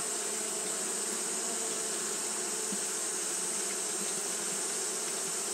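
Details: Fanning Japanese honey bees on a hot day: a continuous low hum layered under an even, hissing high band, the swarm's drone steady with no pauses.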